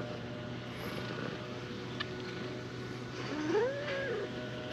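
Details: A tortoiseshell cat, shyly climbing onto a lap to be petted, gives one soft meow near the end that rises then falls. A steady low hum runs underneath.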